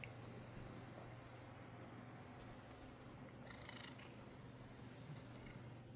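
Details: A black house cat purrs steadily while being petted and given belly rubs, rolling on its side; a low, continuous rumbling purr under faint background noise, with a person speaking softly nearby.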